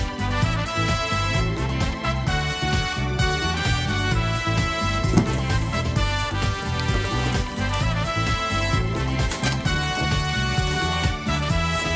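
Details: Only lively instrumental music with a steady beat and bright melodic lines is heard, with no animal voices.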